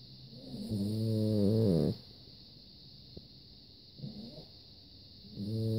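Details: Deeply sleeping French Bulldog, a rescue dog, snoring indoors; drawn-out, low, buzzy inhaled snores that swell and end abruptly, separated by quiet pauses of a few seconds, with a constant high-pitched hum in the background.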